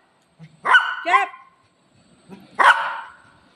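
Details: Golden Retriever pet barking at its owner to keep her from eating. Three whiny, yelping barks with rich harmonics: two close together, then one more after a short pause, each sliding downward.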